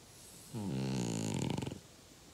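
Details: Uggy, a five-year-old French Bulldog, gives a single rasping snore lasting about a second, with stacked low buzzing tones that break into a rattling flutter at the end, then quiet.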